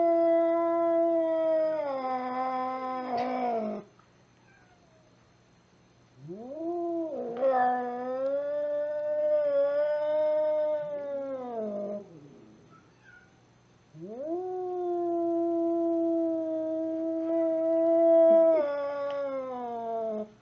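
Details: Angry domestic cat giving three long, drawn-out yowls, each rising sharply then held in a wavering moan for several seconds, separated by brief silences; no other sounds.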